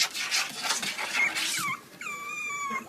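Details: Two-month-old male Pomeranian puppy Kotetsu on his first day at a new home, 30 January 2015, midwinter, kept in a warm cardboard box. Rustling gives way to a brief falling squeak, then one drawn-out, high, steady whine.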